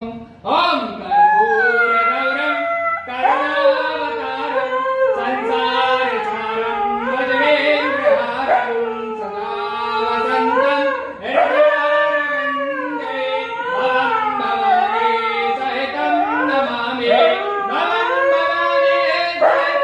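A husky gives long, wavering howls that rise and fall in pitch, almost like talking.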